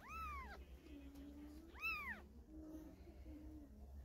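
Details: A mother cat moving her kittens by carrying them in her mouth gives two loud arched meows that rise then fall, each about half a second, followed by soft, low, drawn-out tones over a faint hum.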